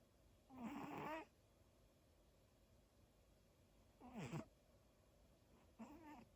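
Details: Snoring from Daifuku, a pet dog, heard as three rough, squeaky nasal breaths of uneven length separated by quiet pauses of several seconds, with a low constant hum in the room.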